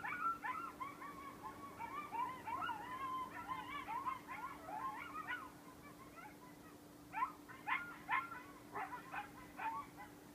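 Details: A group of coyotes howls in the front beach forest at Station 26 1/2, Sullivan's Island, South Carolina, forming a wavering, overlapping chorus broken by sharp rising yips.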